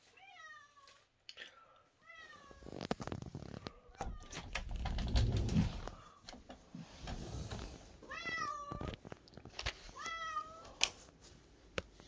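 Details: A cat named Momi gives short, bending meows near the start and again around eight and ten seconds, each dipping then flattening; a long stretch of rumbling handling noise fills the middle.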